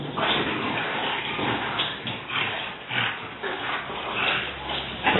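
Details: French Bulldogs roughhousing together, with harsh, breathy growls and snorting bursts repeating about once a second and rising in intensity toward the end.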